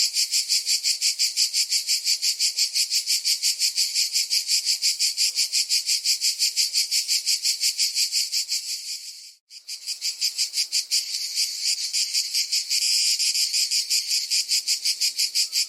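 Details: Insistent high, rasping cicada buzz, pulsed about three times per second, dropping to a brief silence near the middle before the throbbing drone resumes.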